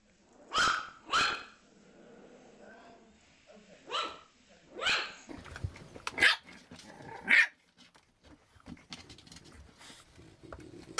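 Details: Puppies barking: a pair of quick yaps, then spaced single barks and two sharper high yips, fading into softer scuffling and low murmurs toward the end.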